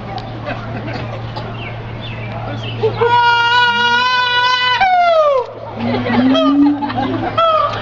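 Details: Siamang sounding a long, loud, ringing note that holds steady and then slides downward, followed by low rising booms and a few shorter barks. Faint bird calls sit underneath.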